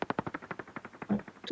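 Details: A hunting common pipistrelle's echolocation through a bat detector: rapid, dry smacking clicks, about a dozen per second, the fast rate showing hunting behaviour.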